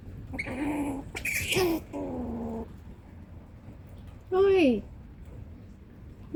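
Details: An angry squirrel gives harsh, nasal, whining warning calls, four in about six seconds, the last a loud falling squeal, with a brief scratchy burst between them.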